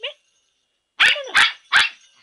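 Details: A naughty dog barks three times in quick succession, each sharp bark about 0.4 seconds apart, right after someone calls to it in Spanish.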